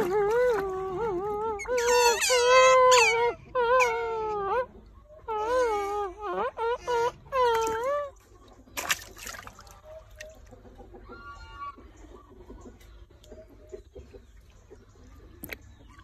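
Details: Otter named Titi, kept as a pet and learning to eat water apple, gives loud wavering whining squeals in repeated bursts over the first eight seconds, then quieter chirps, with water trickling and a person speaking Vietnamese.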